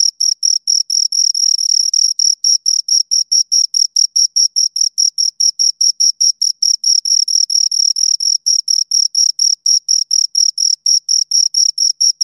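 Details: Two crickets chirp continuously through stridulation, a piercing high tone broken into quick steady pulses, some passages slurring into near-continuous trills, with no other noise present.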